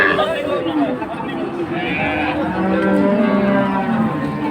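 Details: Mooing from cows kept with their calves at Ambari market, Dinajpur, 24 May: a long, flat, low lowing call in the second half, set against constant crowd talk and market bustle.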